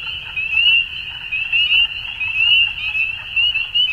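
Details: Frogs at dusk produce a continuous high, trilling chorus of short upswept chirps, with loudness surging and fading in uneven waves about once a second.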